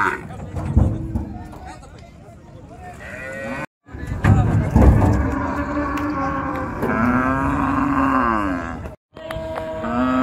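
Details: Cattle being unloaded at a popular village cattle market by a river; voices and market clatter first, then a long, wavering moo in the second half, broken by two brief silences.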